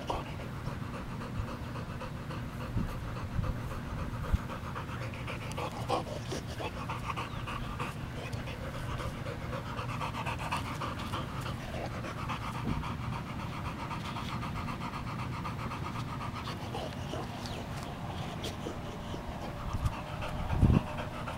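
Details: Boxer dog panting steadily for the whole stretch, a low, breathy, raspy rush of air with no pauses, and a brief sharper knock near the end.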